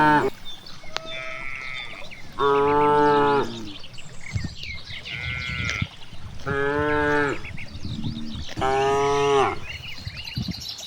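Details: Four drawn-out moos roughly every two to three seconds from cows grazing freely in a big rice field, each a loud harmonic bellow, with scattered bird calls and rustling between them.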